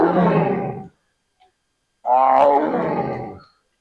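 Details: Tiger roaring in Bannerghatta Biological Park zoo: two loud, deep, rough harmonic bursts about a second long each, separated by a short silence.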